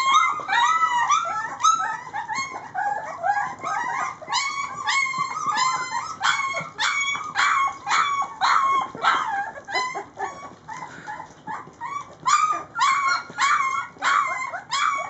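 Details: Hungry three-week-old Rhodesian Ridgeback pups of Layla's litter being fed: a chorus of loud, insistent yelps, whines and small howls, many puppies calling together in quick, uneven bursts over fifteen seconds.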